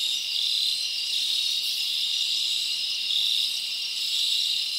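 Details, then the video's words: Night-time forest crickets in summer, a constant high shrill trill with gently swelling loudness and short whistle-like chirps over the chorus. "Live Crickets Natural Sound"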